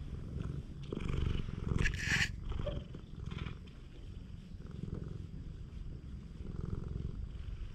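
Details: Stray cat being affectionate on a cat island, filmed with a GoPro HERO8: steady low rumbling purr pulsing throughout, briefly louder near the start, with soft rustling and handling noises over it.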